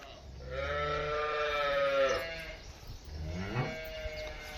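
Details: Two deep, sustained moos from cattle on a dairy farm where a Holstein Friesian cow is shown, with a short pause between them. Faint farm background noise is audible.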